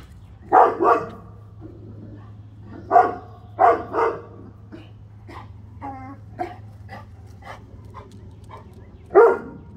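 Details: Central Asian Shepherd guard dog unhappy at delivery trucks; loud deep barks, often in pairs, scattered over several seconds, with quieter shorter sounds between and a steady low hum beneath.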